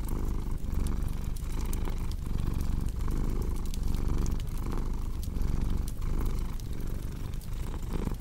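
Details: A cat rumbles in a steady purr, each inhale and exhale marked by a brief dip in the low buzz, while a wood fire crackles and snaps lightly in the background.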